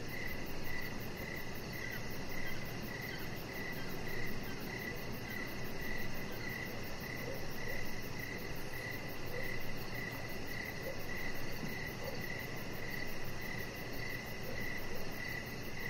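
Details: Crickets calling on an evening outside by a deck where a chihuahua puppy lies; a long, even run of roughly two dozen short, bright chirps, rhythm unbroken, over continuous low rumbling noise and a faint rapid high-pitched pulse.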